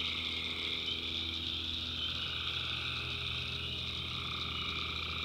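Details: Tree frogs at night in a North Carolina swamp, a thick unbroken chorus of high-pitched trills with a lower, fainter band of calls beneath and a continuous low hum.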